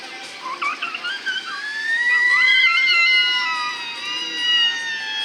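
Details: Captive killer whales at a SeaWorld San Diego show on 7 December 2015 give bright, harmonic squeals that wobble, rise and bend; each pod has its own dialect of calls.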